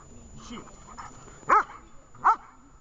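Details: Vesta, a dog being trained in Horlivka on 20 July 2019, lets out two short, punchy barks less than a second apart after a stretch of human talking.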